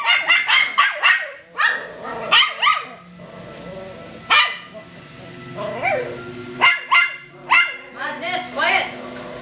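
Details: Poodle crossbreed puppies at home yapping in bursts of bright, high-pitched yips, some rising then falling. Barking clusters at the start and end, with a quieter stretch between.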